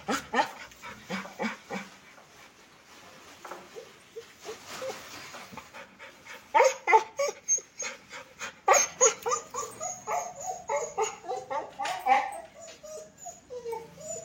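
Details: Sheru, a pet dog, making rapid, uneven breathy bursts about three per second, mixed with short high whining whimpers that rise and fall; a steady high hiss runs through, and a person's voice speaks to the dog early on.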